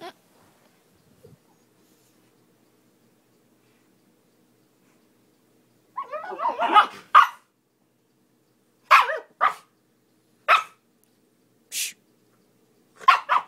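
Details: Young Siberian Husky named Miku talking while playing: after six seconds of near silence, a burst of yowling, woo-like vocal sounds, then short separate barks and yips spaced about a second apart.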